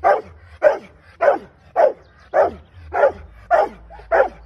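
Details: During training, a Rottweiler gives eight strong barks in a regular rhythm, roughly one every half second, each a short forceful burst, over a quiet low rumble.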